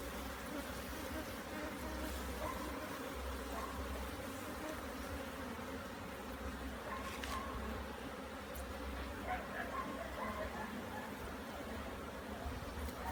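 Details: Honey bees during a hive inspection in Jamaica, frames with larvae being checked for mites and disease; a steady low continuous hum of many bees throughout, with a man speaking faintly.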